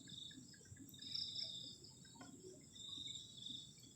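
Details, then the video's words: Crickets on a cold night near a garden shelter at a forest edge: steady high trilling in two bright bands with soft pulsing swells, over a faint low hum and a few scattered clicks. "ENJOYING THE SOUND OF CRICKETS ON A COLD NIGHT"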